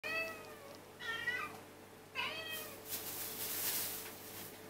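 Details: Domestic cats begging for food during their daily routine: two clear, drawn-out meows with falling pitch, followed by a hissing, rustling noise.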